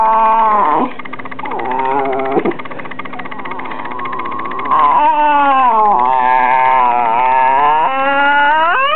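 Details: Female rat terrier Taylor, two years old, sharing her opinion at home with sustained, yodelling howl-moans that bend up and down in pitch, nearly continuous with a brief dip, ending in a rising whine; faint electrical hum beneath.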